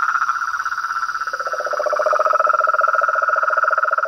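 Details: Frogs and toads calling outdoors: a rapid rhythmic trill of closely spaced pulses, joined after a second by a lower, deeper pulsed trill, both overlapping steadily.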